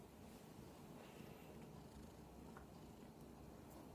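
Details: Radish, a giant kitten demanding attention, purrs in a steady, soft low rumble that runs unbroken through the whole stretch, recorded close, with faint clicks and rustles above it.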